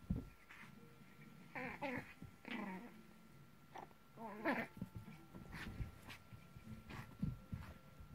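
A Maltese dog gives short, rough growls and whiny yips while playing tug.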